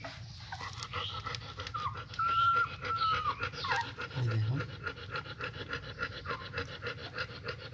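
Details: Weak German Shepherd puppies piled on one another: a long, level, high whine gives way to shorter falling whimpers, over quick rhythmic panting breaths that continue throughout.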